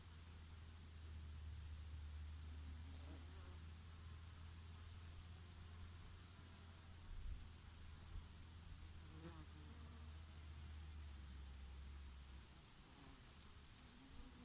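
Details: Summer bees foraging on their favourite oregano flowers, faint wavering buzzes drifting in and out, loudest around three and nine seconds, beneath a steady low hum of breeze.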